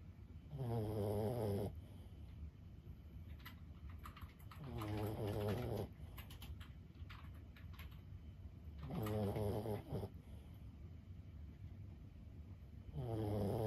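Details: Lulu, an elderly 15-year-old Boston Terrier, snores while asleep, with low, rattling, nasal buzzes repeating about every four seconds, four snores in all, and faint tapping in the otherwise quiet background.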